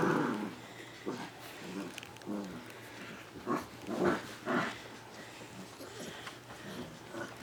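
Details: Six-week-old yellow Labrador Retriever puppies at play, giving low, rough growls and grumbles in short bursts of about half a second, uneven but steady, with soft rustling between and a person speaking faintly.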